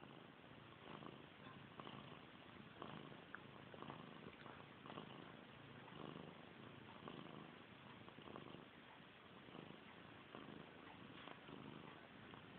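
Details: Indoor house cat giving a low, continuous purr, a gentle throbbing rumble that keeps an even rhythm for the whole stretch, faint and close with no other distinct noises.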